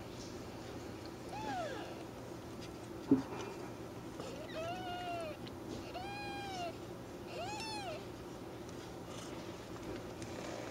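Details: A kitten shown in a praying pose gives a series of short arched meows, about five calls spaced roughly a second apart, over a steady low indoor hum.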